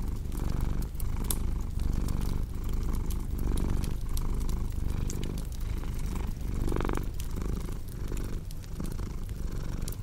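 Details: Cat purr, deep and continuous, pulsing in breath-paced cycles while a cozy fireplace crackles with scattered clicks and one brighter hiss partway through.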